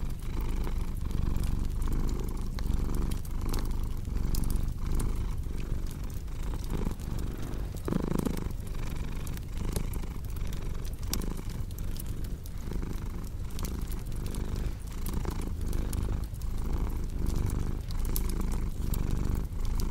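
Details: Contented house cat purring near a crackling fireplace in a calming sleep mix: a sustained low rumble in regular breath cycles, busy fire crackles on top, and a brief louder whooshing burst around the middle.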